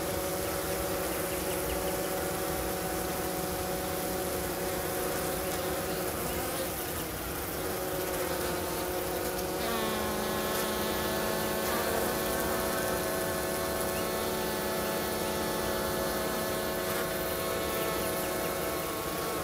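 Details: Honey bees at a hive south of St. Paul, Minnesota, on a 50-degree March day, active at the entrance removing dead; sustained dense buzzing with tonal wingbeat hums and passing bees growing louder midway.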